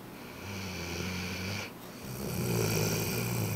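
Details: Georgia, a Rhodesian Ridgeback, snoring in her sleep after a long day at doggy day camp; low, rough drawn-out breaths rising and falling, with a brief quiet pause between snores.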